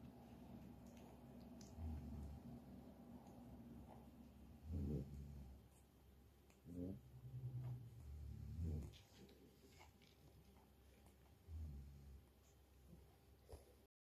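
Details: Young French Bulldog puppies kept by an Okayama breeder in Japan give low, snorting grunts in short bursts, about four spaced unevenly across fourteen seconds, over a constant low background hum.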